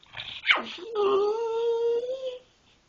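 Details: Pet dog asked to speak, making a funny noise: a short snort, then a drawn-out, tuneful whining moan that dips slightly and holds level for about a second and a half before fading.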